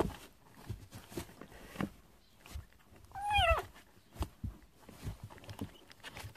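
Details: A kitten from a cat family living in a storage shed, romping excitedly with its littermates, gives one short falling meow with rich harmonics midway, surrounded by soft thumps and scuffling from the play.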